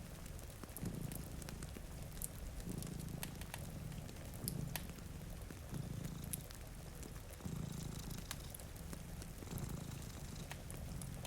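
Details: Sleeping cat by a rainy window purrs in a deep, steady rumble that pulses roughly every two to two and a half seconds, while a fire crackles and pops and rain patters quietly in the background.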